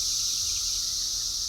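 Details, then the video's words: Cicadas droning outdoors on 6/4/24 while cats sit outside: a loud, steady, high-pitched buzz that holds without a break from start to end, with only a faint low rumble underneath. "The cats are sick of the cicadas"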